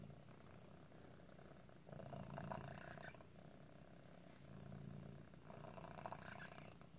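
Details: Low rumbling purr from Otis, a cat whose deformity sometimes causes asthma-like breathing trouble; the purr rises and falls in breath-length swells, and faint squeaks and wheezes appear during the stronger phases.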